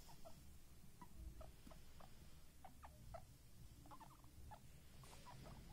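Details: Baby guinea pigs making short, soft squeaky chirps in quick irregular bursts, several per second at times, over a steady low rumble of background noise.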